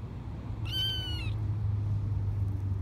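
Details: Four-week-old foster kitten meowing on grass outdoors for the first time, which it did not like; one clear, high, thin meow lasting about half a second, then low background rumble.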